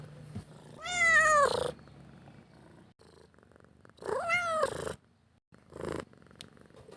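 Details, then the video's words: Hungry pet cat begging for food: two strong arched meows about three seconds apart, each bending downward at the end, with quieter rhythmic purring between them. "Suara Kucing Minta Makan Mengeong dan Mendengkur"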